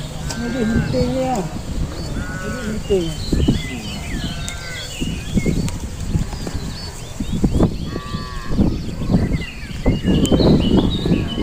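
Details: Cow, one of a collection of cattle making strange sounds, giving short harmonic lowing calls amid people talking, thuds and rural background noise.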